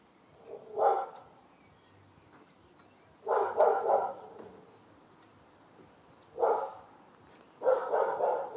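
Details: Dog in Wellingborough barking: single and double harsh barks in irregular bursts, about four over nine seconds, with a faint low hum behind.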